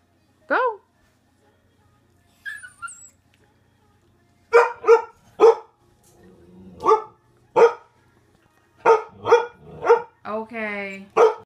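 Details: Poodles waking up, giving a rising whine and then a run of about nine short, sharp barks spaced half a second to a second apart, with a drawn-out wavering whine near the end.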